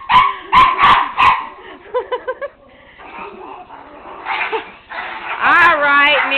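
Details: Indoor play as Tigger, a one-year-old miniature pinscher, chases a flashlight beam until dizzy, with another dog, Nero, nearby: three sharp loud barks open, then softer yips and a whining rise while a man talks over them.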